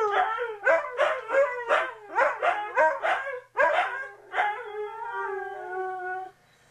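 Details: Siberian Huskies, two dogs egging each other on: a run of about nine short, yelping howl bursts roughly every third of a second, then one longer, smoothly falling howl that fades out.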